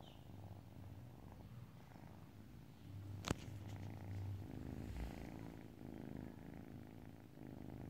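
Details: Relaxing house cat purring continuously, a deep low rumble that swells slightly louder midway, interrupted once by a sharp click or tap near the middle, otherwise a quiet indoor setting.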